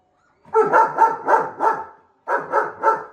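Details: German Shepherd dog wanting to fight a bull, giving a quick burst of about seven deep, rough barks in two tight runs separated by a short pause.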